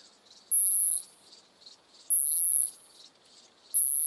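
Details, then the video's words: Isophya brevicauda, a short-tailed plump bush-cricket, singing in Muhrtal, Austria, on 24 July 2022, captured with an ultrasound detector; very high, thin buzzing bursts about half a second long, repeated roughly every one and a half seconds, over faint hiss. "Isophya brevicauda -- Kurzschwänzige Plumpschrecke"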